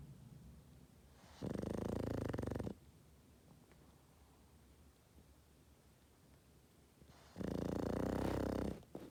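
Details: Snoring Boston Terrier during sleep: two rasping, buzzy snores, each over a second long, six seconds apart, in a quiet room.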